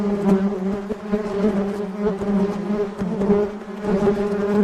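A dense, steady hum of many honey bees in flight, droning low with a rich harmonic tone.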